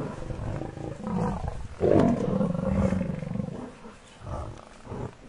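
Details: Lion pride attacking a buffalo cow while her herd charges in to try to save her, filmed with Shindzela tented camp; a rough, ragged growling roar swells near two seconds, then lower rumbling growls fade away.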